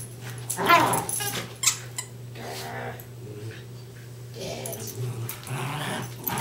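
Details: Indoor tug of war between two West Highland White Terriers, Darby and Riley: a loud rasping growl burst early, a sharper one a second later, then softer rumbling growls, over a steady hum.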